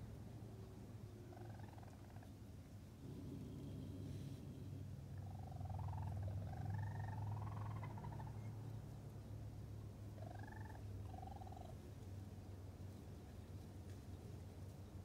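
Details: Young raccoon kits with their mother Tantail, first visit, 6-22-22, chirping loudly: bursts of bright, wavering chirps in small clusters, a pair early, a run of several in the middle, then another pair, over low continuous hum.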